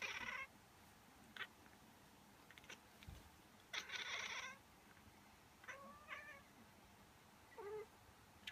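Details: Female house cat reacting, as she does every time, to a person sneezing or pretending to sneeze; a few faint, short chirping meows with rising and falling tones, spaced out over quiet room noise.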